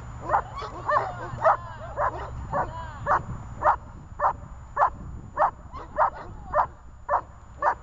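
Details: Zhelya, a dog in guard training, barks steadily: about fourteen sharp, mid-pitched barks at a fairly even pace of nearly two per second, with faint talking and rustle underneath at the start.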